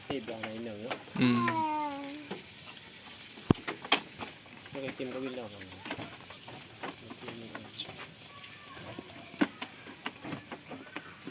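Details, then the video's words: Goats on a farm, playing and eating: a couple of nasal, wavering bleats early on and another a few seconds later, over steady crackling and crunching from feeding, with scattered sharp clicks. "FUNNY GOAT SOUNDS PLAYING AND WHILE EATING ON THE FARM || LOTS OF GOAT SOUNDS"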